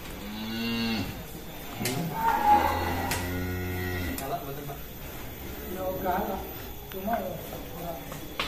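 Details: Large bull coming out of its pen at an Indonesian cattle farm, lowing several times: a short harmonic moo, then a deeper, longer bellow, with people talking and shed noises around.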